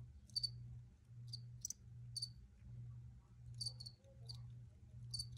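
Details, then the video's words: Cricket chirping, recorded as original footage: brief, high-pitched chirps come in small bursts, some doubled, at uneven intervals above a constant low pulsing drone. "Free Cricket Sounds for Re-Use or Relaxation"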